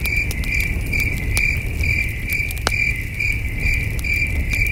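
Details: Crickets chirp in the distance at a starry night campsite with a campfire and a cool breeze, a steady, high-pitched pulsing chorus over a low rumbling background.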